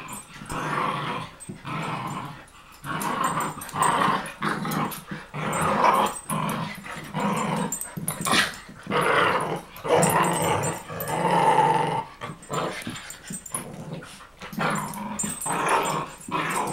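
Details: Pitbull confronting a Chihuahua indoors, giving rough, rumbling growls in rolling bursts of one to two seconds separated by short pauses, with a brief higher whining tone near the end.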